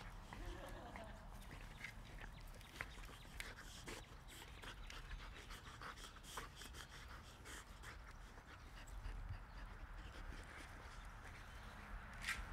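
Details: Border Collies Chowder, Fergus and Zinni play in a backyard, with Chowder hunting for an orange ball; steady breathy dog panting runs throughout, over soft rustling and scattered clicks, with a person talking to the dogs.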